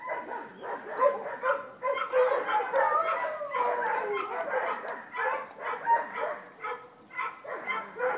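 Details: Vizsla puppies in a kennel at Wey Farm Kennels crying all at once: a loud tangle of squealing yips and wavering little howls, pulsing in waves with brief lulls between.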